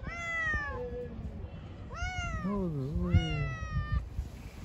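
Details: A pregnant cat living on the street meows three times in close succession, drawn-out tonal cries sliding downward, the last ones wavering, over low background rumble.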